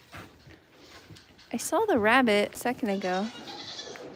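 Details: Goat at The Willful Goat Farm & Home gives a quavering, wavering bleat lasting about a second, followed by a shorter, rising-then-falling second bleat, over a soft murmuring background.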